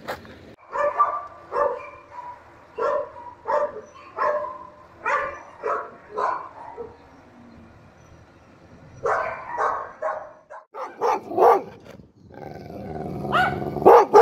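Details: Dog giving repeated short barks at an irregular pace, a dozen or more, some doubled, with a louder, rougher burst of barking and noise near the end.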